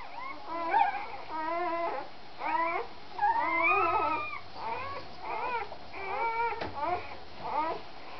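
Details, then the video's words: A puppy feeding, giving a rapid series of high, quavering whimpers and yips, each short call rising and falling, repeated about every half second over a low background hum. "Cha Cha feeding -listen to the puppy sounds"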